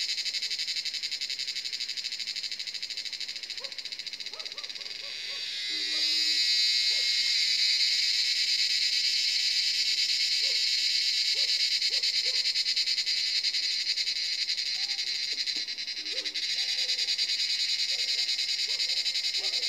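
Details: Cicadas in a forest at Jabbarkhet Estate, India, at sunset around 7 in the evening, fill the air with a dense, continuous, high-pitched buzzing drone that swells louder partway through.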